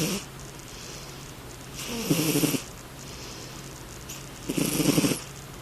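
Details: Sleeping rescue cat named Midnight gives two drawn-out snores about three seconds apart, each a rasping, rattling inhale with a fluttery low buzz, separated by quiet breathing and a faint constant hum.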